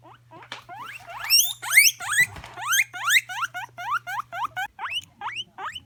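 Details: Pet guinea pig wheeking: rapid series of high, rising squeals, several per second, loudest in the middle then tapering, with a faint steady hum behind.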